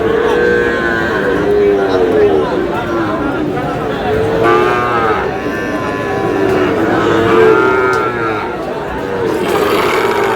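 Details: Sahiwal bull calves, around six months old, at a busy Brahmanbaria cattle market on 31 March: several short, arching moos spread through the stretch, over a steady hum of crowd voices and bargaining talk.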